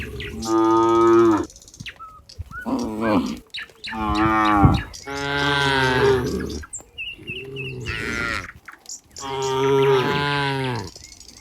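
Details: A herd of cows heading back to the pen on a farm gives five drawn-out moos, each a rich low bellow lasting about a second, separated by brief pauses with faint bird chirps.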